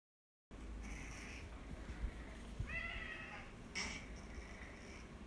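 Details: Pet cat with nasal stenosis, ill again after treatment kept it comfortable for eight years; noisy, rasping breaths across a constant low rumble, with a short strained meow-like cry midway and a second faint cry near the end.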